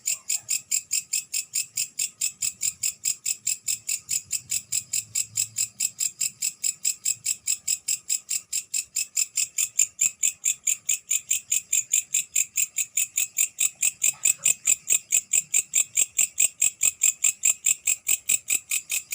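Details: Night-time grasshopper call, known locally as belalang: sharp, high-pitched pulses repeating evenly at roughly two and a half per second, sustained throughout with only slight changes in loudness.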